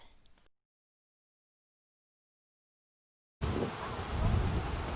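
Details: A faint murmur, then near silence, then a loud, low rush of wind or rain noise with no animal calls.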